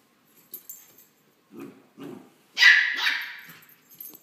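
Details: A female West Highland White Terrier puppy hopping around at play gives two soft, low huffs, then two sharp, very high-pitched yapping barks.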